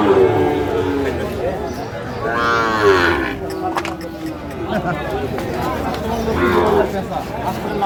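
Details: Sahiwal bull calf moos at a busy cattle market in Chuadanga, Bangladesh, June 2025; two drawn-out harmonic calls rise over a steady background of crowd talk and haggling.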